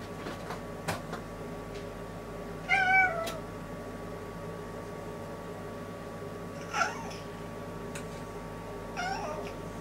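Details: Indoor domestic cat restlessly walking back and forth by the toilet, with three separate meows, the first clearest and wavering, plus faint tapping and a constant background hum.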